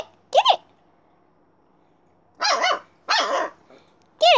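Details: Siberian Husky puppy named Little Bear, described alongside Alaskan Malamute, gives short high yipping barks: one quick bark, a pause of nearly two seconds, then two rising-falling barks in close succession and a final clipped yelp.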